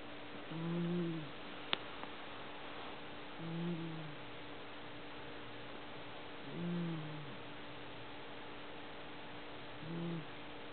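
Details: Sleeping domestic cat snoring loudly: soft, low, rumbling breaths rise and fade about every three seconds, four snores in all, over a steady faint hiss with one brief click.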